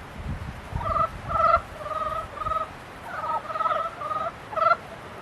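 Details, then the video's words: Frogs calling in mating season: short nasal, pulsed calls in a steady mid-pitched tone, given in quick bursts of several notes with brief gaps, over a low background rumble. "개구리 짝짓기"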